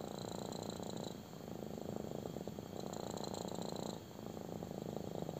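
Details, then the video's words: Intense purr of a kitten during a belly rub, low vibrating rumble rising and falling in roughly one-second and three-second phases with a short quieter gap between breaths. "CUTE KITTEN LOVES BELLY RUB! | INTENSE PURRING"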